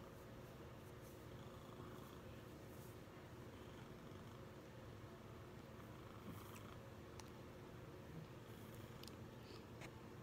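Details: Proton, a male Maine Coon cuddling on his owner's chest indoors, purrs loudly with a steady low rumbling drone throughout, plus a few faint clicks and rustles.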